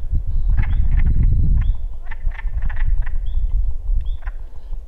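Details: Frogs croak in short, irregular bursts, several at once, at Cabin Lake, a deep hillside-ringed basin lake with reeds and sunken dead wood. A heavy low wind rumble runs through it, with thin whistled bird notes above as ducks and red-winged blackbirds are nearby.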